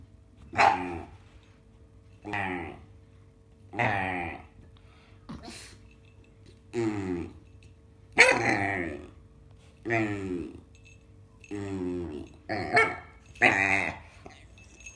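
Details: A black dog held against a man and squeezed, giving a weird noise each time: drawn-out voiced groaning sounds repeated about every one and a half to two seconds, roughly nine in all, indoors.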